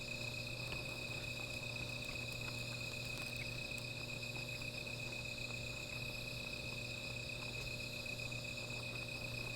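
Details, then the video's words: Night insect chorus near a small fire, a continuous shrill tone with overlapping high buzzy layers that never break. Faint ticks and crackles from the burning wood sit over a low steady hum. "Sound of Insects"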